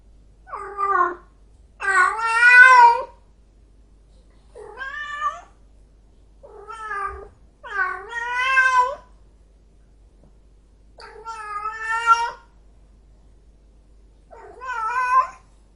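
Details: An angry cat meows repeatedly: roughly eight spaced cries of varying length, some short and sharp, others longer and bending, against a silent background.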